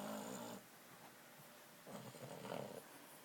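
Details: Snoring from a sleeping Boston Terrier: a raspy breath cut off at the start, then a quieter, uneven snore with a rough, fluttering texture after a short pause.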